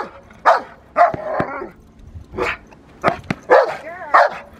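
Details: Rottweiler Magda vd Fehn Kolonie, BH, in protection training gives loud, separate barks spaced roughly half a second to a second apart, with a few sharp snapping knocks in between.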